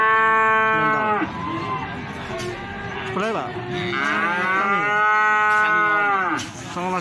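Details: Plaosan cattle market, Magetan, Indonesia: feeder cattle moo one after another. Long harmonic calls, some steady and some sliding and wavering, follow each other closely with little pause against a constant crowd hum.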